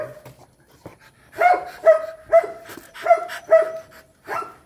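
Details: Rottweiler during mating, giving a series of short tonal yelps or whimpers about every half second, each with a sharp onset and steady harmonic tone, several in a row, with people laughing nearby.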